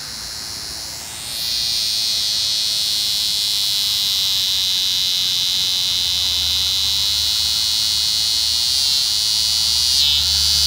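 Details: Eastern scissor-grinder cicada showing unusual courtship behaviour: a high, whining buzz swells up after a second and holds steady and loud, with brief pitch dips near the end.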